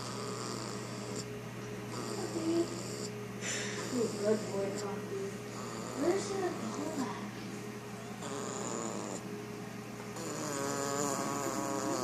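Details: Five-week-old German Shepherd puppy asleep and snoring: soft, rough, breathy snores keep going under people's voices talking nearby, with a steady low electrical hum in the background.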